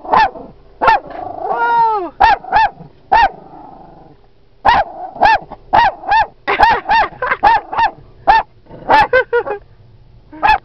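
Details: Jackson the Dachshund barks at a buffalo in Yellowstone National Park; rapid series of sharp yappy barks, at times nearly one per half second, with a rising whine early on and a brief pause mid-run.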